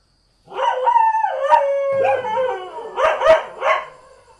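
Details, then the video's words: Domestic village dog in Thailand giving a drawn-out whining howl that wavers and slides down, then three sharp, rough barks in quick succession at the end. "เสียงหมาเห่า หมาบ้านๆ Dog Sound"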